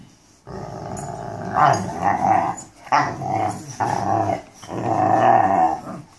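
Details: Mastiffs "talking" indoors: drawn-out, growly moaning vocalizations with a rough, harmonic tone, rising and falling in several long phrases.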